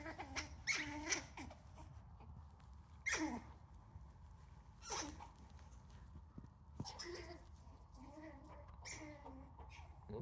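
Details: A dominant male eastern gray squirrel in a backyard on May 19, 2020, pursuing a female, squawks continually in harsh, nasal, short separate bursts; possibly a mating call, with a third squirrel also calling.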